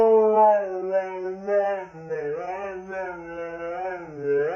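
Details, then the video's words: Siberian Husky howling continuously indoors, one long, harmonically rich tone that wavers and bends gently up and down in slow undulations, without a break. "Crazy Husky Howling"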